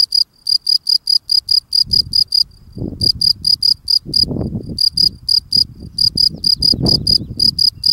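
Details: A male field cricket keeps chirping while tidying the steps in front of his burrow; shrill pulsed chirps in short runs with brief pauses, over frequent low thumps and scrapes from his work.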